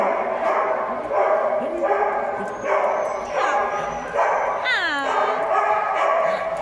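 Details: A dog named Penny asking for cuddles, giving high whining yelps, one sweeping sharply downward near the end, while a woman keeps talking to her softly over it.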